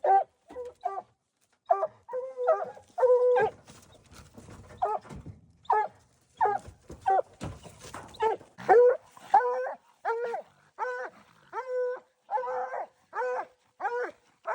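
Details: Hunting dogs on a raccoon hunt give harmonic, yelping barks in uneven bursts. A stretch of rough noise breaks up the calling midway, and then the barks come back in quick succession.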